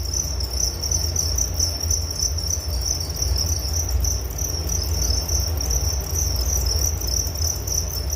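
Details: Crickets chirping steadily as a sleep aid, a bright high-pitched pulsing trill sustained throughout over low background rumble.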